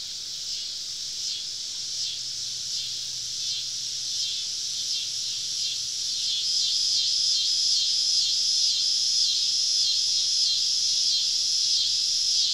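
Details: Wild cicadas surround a woodland campsite on a southern summer evening, a massed high buzzing chorus that beats in quick rhythmic pulses and grows louder midway, with a thin whistled note riding over the drone.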